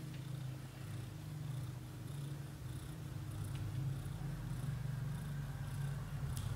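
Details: Continuous deep purring from British shorthair kittens aged up to 30 days, recorded close. An even, throbbing rumble holds without a break for the whole stretch, with occasional soft clicks above it.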